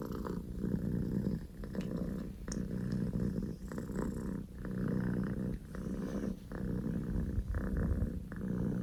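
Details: Poko J, a male Scottish Fold kitten born 15 October 2019, purring loudly at home; deep continuous rumble broken into breath-length pulses of about a second each, alternating in and out.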